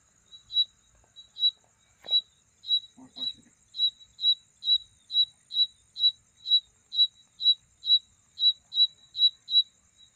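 A night insect repeats short, pure, high-pitched chirps about twice a second, a call for attracting a mate. A fainter, higher continuous buzz runs underneath, and a brief soft voice or rustle is heard early on.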